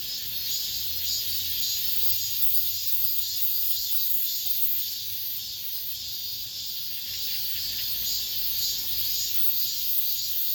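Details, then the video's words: Late-summer cicada chorus in an apartment complex, the season's last: a continuous hissing, high-pitched buzz pulsing in gentle waves roughly twice per second. "올 여름 마지막 매미소리"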